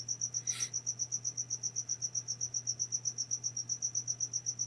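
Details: Cricket chirping indoors, hidden somewhere in the room during a spoken maths lesson; steady high, thin pulsed chirps about four per second, with a low electrical hum underneath and a brief click.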